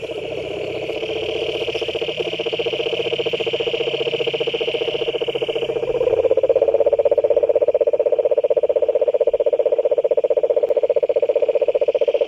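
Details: Pond frogs in chorus, a buzzy rapid-pulsed trill held continuously and swelling louder halfway through, while a thin high whine fades out early on.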